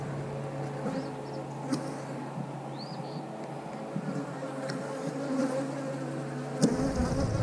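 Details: Continuous low hum of a honey bee colony as the hive is checked for brood and nectar before a split. The drone holds level throughout, with a few thin bird chirps and faint scattered taps.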